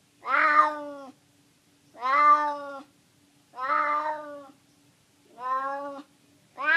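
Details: Hungry San Francisco stray tomcat meows insistently for food, five wailing calls about a second long spaced around one and a half seconds apart, nothing else audible.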